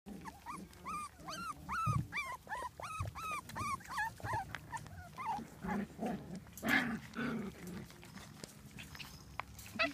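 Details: Puppies playing: a quick run of high, arching whimpering yelps several times a second, then lower grunting growls and scuffling. A person speaks softly nearby.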